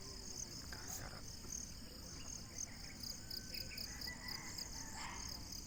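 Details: Crickets in the morning after sunrise in the countryside of Naic, Philippines: short high, thin chirps repeated irregularly over a steady high insect hum, with faint bird notes and low background rumble.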